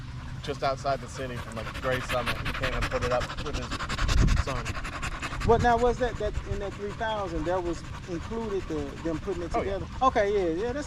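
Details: Male Staffordshire Bull Terriers out for a long evening at the park with other male dogs: fast rhythmic panting first, then warbling, up-and-down whines that come in quick succession over the second half.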